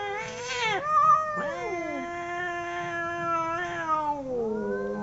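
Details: Two domestic cats fighting, trading long wavering howls: a steady low drawn-out tone overlapped by a higher voice that rises and falls, with sharper squalls near the start and end.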